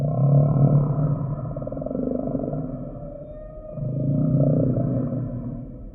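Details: Humpback whale singing in a sample recording: a loud low groan opens, eases into a softer sustained hum, then swells again into a second deep, resonant moan.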